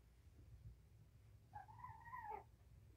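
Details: Domestic cat heard during a weigh-in of a rescued mother's litter of five kittens, four males and one female; one drawn-out meow of about a second, holding level then dipping at the end, over a quiet low hum.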